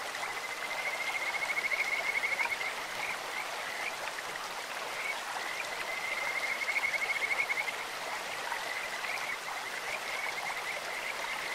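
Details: Kajika frog voice from a clear-flowing stream: two long runs of fast, even, high whistled pulses building in loudness, around the second and seventh seconds, set over continuous splashing current.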